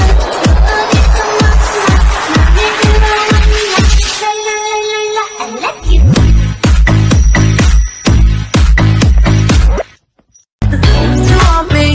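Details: Loud electronic dance music with a steady thumping beat, bright synth lines and a brief air-horn-like blast, dropping to near silence for a moment before the beat resumes; no animal voices.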